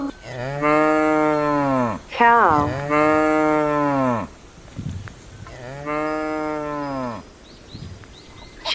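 A cow lows three times, long deep harmonic moos with a slight rise and fall, each about one and a half seconds, with brief pauses between.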